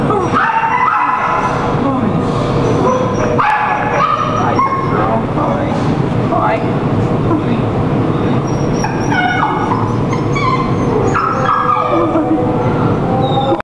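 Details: A young Rottweiler–Australian Shepherd mix awaiting adoption at a shelter barks and yips amid a loud, echoing din of kennel noise and human voices.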